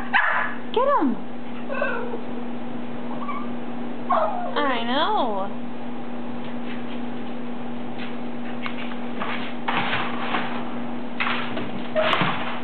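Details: Lhasa Apso dog indoors, playing and trying hard to get dryer balls out of a laundry basket; high, wavering whines with rich harmonics near the start and again mid-clip, then rustling and scraping, over a steady low hum.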